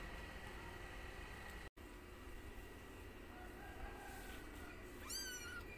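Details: White house cat family, a mother cat playing with her kittens indoors; one short, high, thin mew that drops in pitch comes at the very end, after a long stretch of steady background hiss and a brief dropout.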